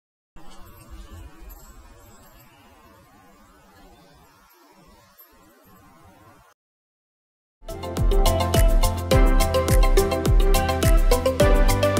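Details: Quiet indoor talk gives way after a brief silence to loud rhythmic music, with no animal sound.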